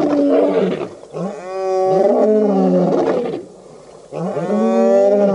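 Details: Male lions of the Birmingham Boys coalition roaring at a dam in Djuma Game Reserve, Sabi Sand, South Africa, August 2016; deep harmonic roars with rising then falling moans, two long bouts split by a short pause.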